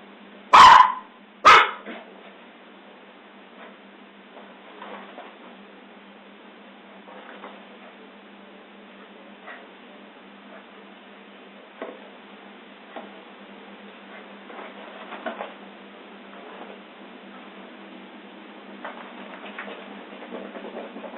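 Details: Scottish Terrier giving two sharp, loud barks in quick succession near the start, followed by a long stretch of faint, scattered low sounds and quiet background noise.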